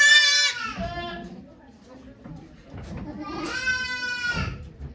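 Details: Nanny goat Okayu in labour with twins at Yoshigake farm, Japan, on 3 May 2023; two harmonic, wavering bleats, one opening and one later, with soft human voices in between.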